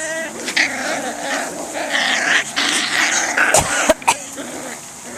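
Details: Five- to six-week-old Swedish Vallhund puppies, among them one called Tapper, making rough little growls and sharp squeaky yips in quick, uneven succession, with a person's voice in the background.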